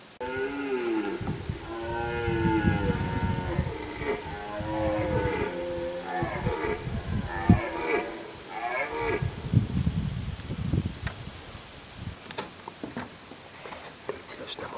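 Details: Red deer roaring during the rut in Galgamácsa forest, 2011, recorded afternoon to evening: deep, harmonic, groaning bellows in a long series of pulsed, wavering roars over several seconds, then quieter clicks and rustles.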